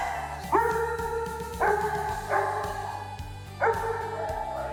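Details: Doberman being trained to bark on command gives several deep, ringing barks after the spoken command "ladra" over steady background music.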